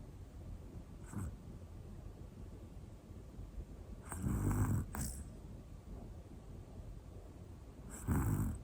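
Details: Sleeping black Pomeranian Hana, a one-year-old female, snores softly; rasping low breaths swell and fade in two main bursts several seconds apart, with a faint earlier snuffle over a steady quiet background hiss.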